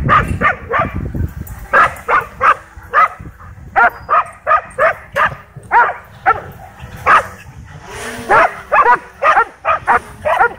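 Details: A dog at a dog park barks steadily, over and over, while chasing a DJI Mavic 2 drone. The short, punchy barks come roughly every half second against a quiet background.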